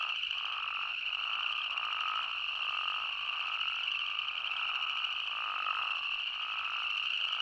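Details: In Arizona, a dense chorus of spadefoot toads merges into a steady, buzzy, ringing drone.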